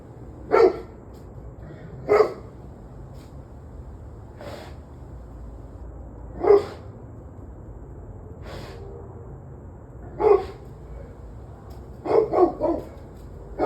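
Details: Dog barking on the evening of 11/21/23, 7:06 pm: sharp, spaced-out barks every two to four seconds, some fainter, ending in a rapid cluster of three or four barks, with low background rumble throughout.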